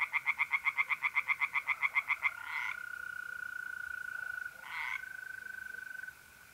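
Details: One tree frog in a pond, north-east Italy, on an April night, gives a loud series of about fifteen evenly spaced croaks over two seconds. The steady buzzing trill of a mole cricket carries on alone afterwards.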